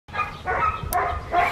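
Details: Five-week-old black tri male Australian Shepherd puppy in Tallulah, Oklahoma, recorded Monday, April 27, 2020. It gives three short, whiny yips in quick succession, each a bright, tonal cry.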